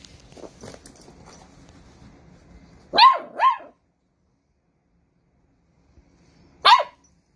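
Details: Playful miniature dachshund puppy giving short yipping barks: two quick high barks close together, then a pause of about three seconds and one more sharp bark, with faint rustling beforehand and near silence between.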